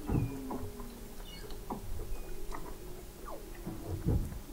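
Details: Weddell seals under the sea ice of McMurdo Sound, Antarctica, recorded November 2017 at 21 m depth: dense faint chirps, clicks and short downswept calls from many animals, no single caller dominant.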